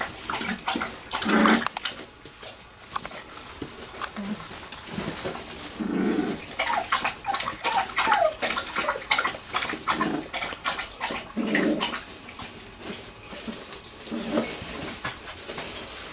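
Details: Wirehaired Pointing Griffon puppies, three weeks old, playing together in a garage whelping box at Bluestem Kennels; scattered whines and short squeals among constant scrabbling and rustling, with low grunting yelps now and then.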